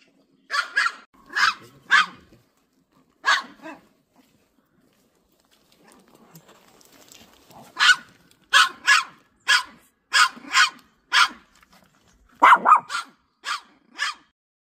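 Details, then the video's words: Pet dog at home reacting to an unleashed golden retriever passing in front of the house: sharp, high barks fired in quick clusters, a quiet pause of several seconds midway, then a longer, faster run of barks. "집 앞에 목줄없이 다니는 골드리트리버~~!!!!!♡♡우리집 댕댕이 반응~!!"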